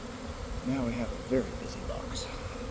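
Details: Honey bee swarm forming from a garden hive on an afternoon after cold, damp days; a constant low hum fills the air while a person's voice briefly speaks over it midway.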